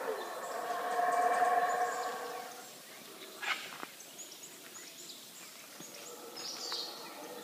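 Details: Howler monkeys at the Yaxchilan ruins in the morning, a deep harmonic roaring chorus for the first few seconds that then fades, leaving quiet forest with faint higher bird calls and a few clicks.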